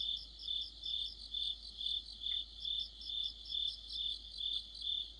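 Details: Crickets in the middle of autumn give a high, ringing pulsed song, with regular beats about two per second over a continuous shrill tone and light background chirping.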